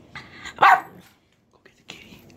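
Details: Boston Terriers barking while attacking a feral alley cat after being urged on: a loud harsh bark bursts out, followed by a quieter second bark and scuffling noise.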